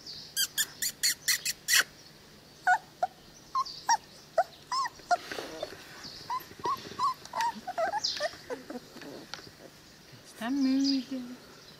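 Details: Cane Corso puppies aged 22 days, wormed and chipped, heard after a burst of rapid clicks: short high whimpers and squeals scattered across the recording, ending in a longer drawn-out whine.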